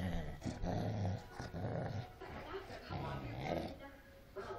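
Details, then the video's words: Angry Cocker Spaniel during a fight, growling low and rumbling in uneven bursts, softer than the loudest snarls, with voice-like tones mixed in. "Ungry cocker spaniel fight to the end"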